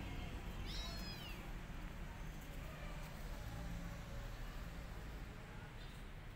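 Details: A rescued kitten, left alone and needing its mother, gives a single high, thin meow near the start, sliding up and then down. Steady low background rumble follows with no further calls.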